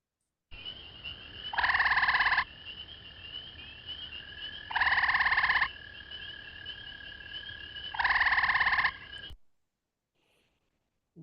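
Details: A gray treefrog in the Bay of Quinte area, a tree-climbing frog whose call people often mistake for a bird, gives short, loud, musical trills, each about a second long and repeated every few seconds.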